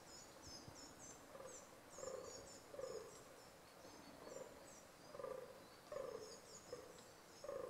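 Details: Rutting fallow deer giving repeated coarse, belching groans in uneven bursts about every second or so, some louder than others, while small birds chirp and twitter steadily high above in an open, natural setting.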